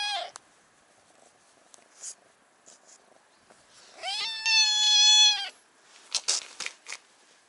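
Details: A brown tabby stray cat on a cat island, demanding to be put on a lap, starts with a brief mew. After a pause comes a loud, sustained, slightly wavering meow lasting well over a second. Small clicks and rustles are heard afterward.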